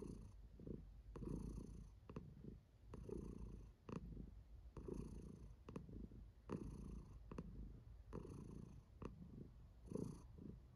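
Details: Female house cat Kiwi purring with pleasure; low, throbbing purr pulsing in regular breaths about once a second, with faint clicks between pulses.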